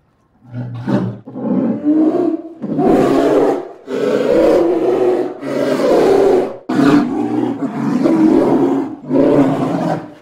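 A polar bear gives deep, rasping roars in a series of long, rough bursts.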